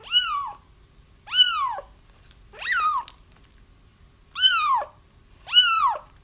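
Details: Crying kittens, recorded for trapping a feral mother whose litter was already found; five loud rising-then-falling mews come in quick succession about a second apart, each rich in harmonics, with near silence between them.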